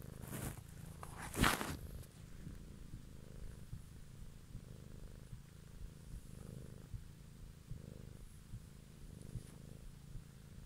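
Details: Evening ASMR recording of a purring cat: low, even rumble rising and falling with its breathing, interrupted early by a sharp handling crackle.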